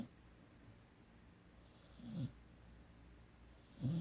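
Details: Puppy Emery, 17 weeks old, snoring in sleep: two short, low, grating breaths about two seconds apart against faint background hum.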